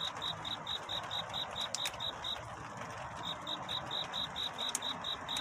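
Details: Cricket singing a courtship song on a night toward dawn: faint, high, evenly spaced chirps, roughly two per second, with a short gap near the middle, over a soft hiss of background noise and a few faint clicks.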